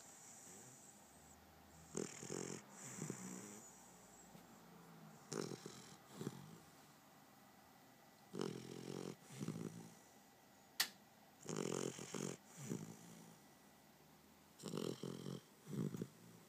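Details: Sleeping puppy snoring in soft, breathy rasps, each snore a short rough burst with a low droning undertone, arriving in uneven groups about every three seconds with quiet pauses between; one sharp click near the middle.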